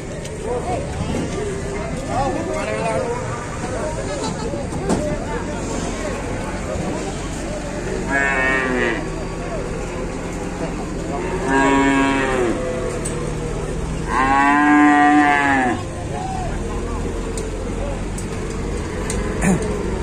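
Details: Cow pinched and stuck while getting down from a truck, unable to stand up, moos three times in long, strained, harmonic lowing calls with pauses of a few seconds, amid men talking and shouting nearby.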